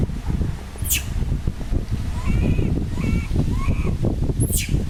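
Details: Young pig-tailed macaque crying after losing its mother: a series of short arched tonal cries, clearly pitched with a higher overtone, repeated about every half second to second over steady rustling, with two sharp high chirps at the start and end.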